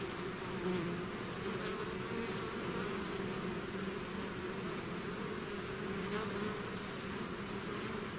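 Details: Unbroken buzzing of a bee swarm outside its hive: a dense droning hum holding steady, with small pitch wobbles and a few quick close passes of single bees.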